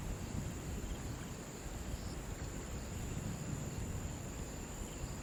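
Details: Riverside crickets keep up a continuous high-pitched shrill trill, almost buried under loud low rumbling water noise that dominates the short recording.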